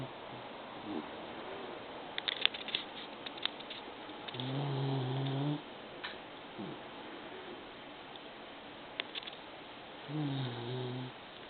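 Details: Snoring of a pet female Maltese that sounds like an old man: two low buzzy snores several seconds apart, a faint sliding breath between, and scattered light clicks and taps in the room.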